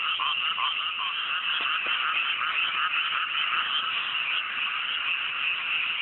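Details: Night chorus of many frogs in a cool upland rice field, newly planted, under a clear sky: a dense, shimmering blend of croaks and trills with no pauses and only faint individual notes standing out.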